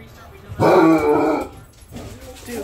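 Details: A male Basset Hound indoors gives one loud, drawn-out, deep and rich baying bark at wild turkeys in the feeder zone, Bridgeport, Michigan, on February 28, 2023; the turkeys take off.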